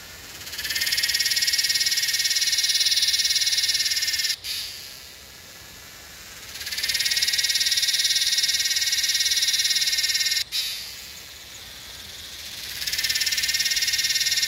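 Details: A Yellowbelly cicada (Psaltoda harrisii) in Northern NSW, Australia, recorded 8/12/20, gives long, loud, high-pitched buzzing bursts that swell and stop in cycles.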